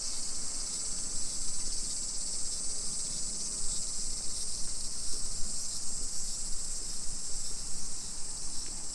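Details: Summer cicadas chorusing at 2 PM on 28 July 2021 in a suburban neighborhood of Nisshin city, near Nagoya, Aichi Prefecture, Japan: a steady, high shrill hiss with slight pulsing, over low rumbling footsteps and street noise.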